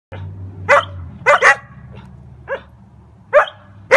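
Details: Collies barking in joy: six short, sharp barks come at uneven gaps, some in quick pairs, over a low steady hum in the first second.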